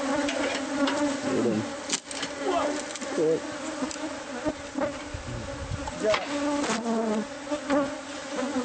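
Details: Hive of bees concealed within a home's walls, heard as the nest is being removed. A thick, even buzzing drone with scattered knocks, scrapes and brief sliding tones over it.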